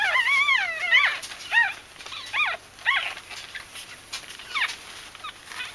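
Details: Bichon Frisé puppies of a litter whining: a long wavering cry opens, followed by a string of shorter bent, squeaky whimpers about every second, fading toward the end against a constant hiss.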